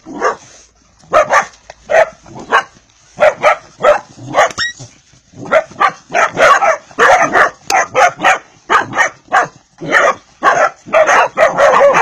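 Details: Pedigree Vizsla puppy from Hungary barking repeatedly, sharp yapping barks about one to two per second, uneven rhythm, briefly interrupted by a whine and a click near the middle, steady faint hiss underneath.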